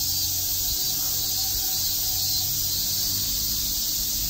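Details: Cicadas on a summer day in Tokyo's Shakujii Park drone in a continuous high, hissing wall of sound, with faint steady tones and a low rumble underneath.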